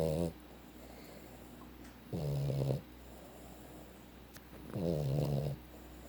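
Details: Boston Terrier asleep, snoring steadily: three low buzzy snores under a second each, spaced about two and a half seconds apart, with soft room noise between.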